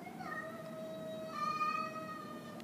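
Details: Grey and white house cat Cosmo yowling at an orange tabby he dislikes: a sustained, even-pitched moaning wail held throughout, growing slightly louder midway, over quiet indoor hum.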